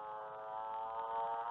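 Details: A motorbike frog, a Western Australian species ranked among the frogs most tolerant of human-modified habitat and often recorded in suburban backyards, gives a drawn-out, rich, buzzing drone like an engine revving.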